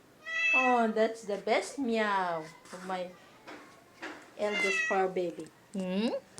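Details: Household pet cats letting out clear, drawn-out falling meows, several in quick succession with a brief lull midway, while a person speaks softly in a small room.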